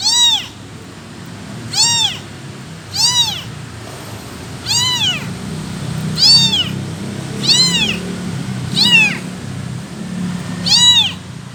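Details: Abandoned kitten calling for its mother, eight plaintive arched meows across the stretch at slightly uneven gaps, high and harmonic-rich, above a steady low-pitched background drone.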